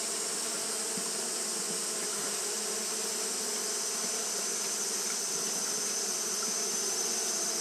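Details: On a hot day, Japanese honey bees keep up their fanning: an unbroken, even low buzz layered under a high steady hiss, with no other clear sounds.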